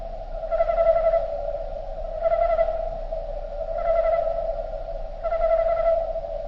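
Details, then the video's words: Slowed-down recording of crickets: a continuous low droning tone with four brighter, layered pulses swelling in at regular intervals of roughly one and a half seconds, otherwise quiet. "Nature Sound Of Crickets Slowed Down"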